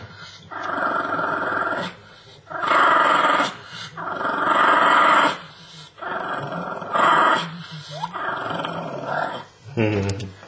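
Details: Grumpy small female Shih Tzu acting like a pitbull over a real bone indoors, growling in sustained rasping bouts of one to two seconds, about five bouts, with a person's voice at the end.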